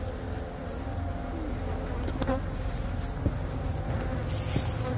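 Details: Honeybees, a colony of about 30,000 found under a shed floor during a rescue: a steady low droning hum throughout, with faint clicks and handling noises.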